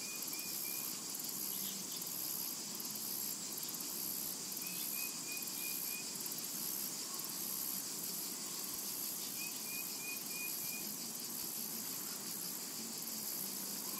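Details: Summer meadow cicadas give a dense, high, gently pulsing buzz throughout, while three short runs of quick soft whistled notes come at the start, middle and later on.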